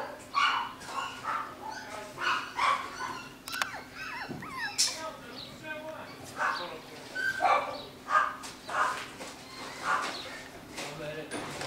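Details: A home-bred litter of nine-week-old Jackateese pups, Jack Russell x Maltese, boys and girls together; steady, repeated short yips and squeaky whines about twice a second, with a human voice and a brief clatter mixed in.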